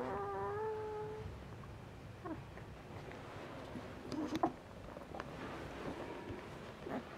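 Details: Asian Bear Dog litter at ten days old, F1 hybrid of Tibetan Mastiff and American Akita, five pups: one steady, clear whimper opening the clip, followed by faint scattered squeaks and rustling.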